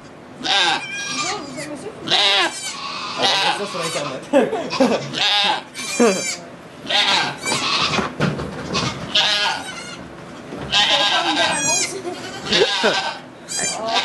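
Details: Bleats of a goat giving birth to two kids inside a Quebec sugar shack, Canada, filmed with an iPod Touch 4G; short, strained wavering cries come every second or two, interleaved with French voices talking throughout.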